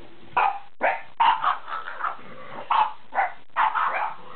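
A French Bulldog gives a string of short, gruff barks with low grumbling noises between them.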